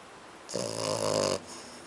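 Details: Kiko, a French Bulldog and Pug mix, gives one rough snore lasting under a second, a buzzy, nasal drone with stacked harmonics, in a quiet indoor room.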